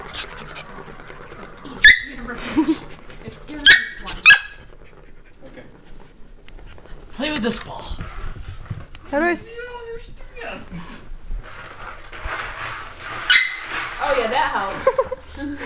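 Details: Cairn Terrier at play with a cat toy: sharp, high yips, then looping whines and squeaky wavering cries, with a person speaking and calling "stop" amid rustling handling noise.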